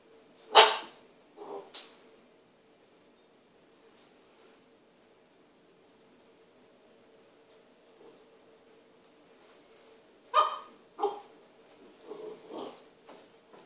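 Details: Indoors in a kitchen, an Irish Setter and a newly arrived puppy meet: a few short, sharp barks and yips at the start, a long quiet stretch, then another burst of several quick barks and softer yaps.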